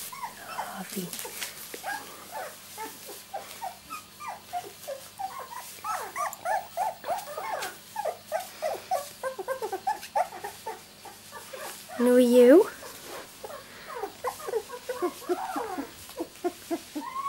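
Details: A litter of two-week-old miniature Labradoodle puppies born 31 July 2009, squeaking and whimpering in rapid overlapping bursts, short high mewing cries tumbling over each other, with one louder drawn-out whine near the end and a faint steady hum behind.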